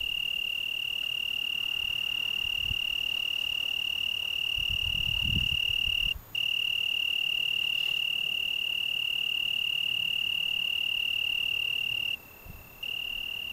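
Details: On a June evening in the Algarve, Portugal, an Italian tree cricket sings a continuous high-pitched trill on a single tone, broken only by two brief gaps; soft wind rustles in the background.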